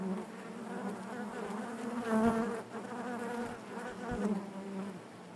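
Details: Colony of honey bees humming within the hive: an even low drone with bright harmonics, swelling to a louder close buzz near two seconds, then easing off.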